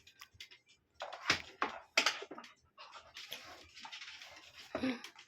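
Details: Aspin, a Filipino native dog, barking indoors in a small room: several sharp, loud barks around one to two seconds in, then a run of rougher, noisier yaps and whines toward the end.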